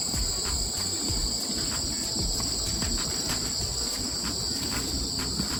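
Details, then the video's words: Crickets in autumn: a steady, high, unbroken trill of two shrill tones that continues throughout, over a low, rumbling background. "귀뚜라미 소리"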